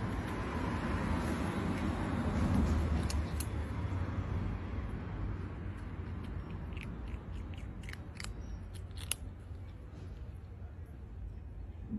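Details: Steady crunching and snipping noises in a small room, with no animal voice heard.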